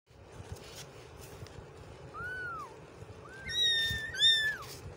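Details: Kitten living on the street, outdoors, giving thin, high, wavering meows: one curving note, then a quicker run of rising and falling cries near the end, over soft background rumble.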